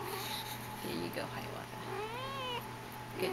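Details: Persian kitten indoors, one of a litter, recorded on 05.30.10: a single drawn-out, rising-then-falling whiny meow lasting about half a second, with a person's soft speech before and after.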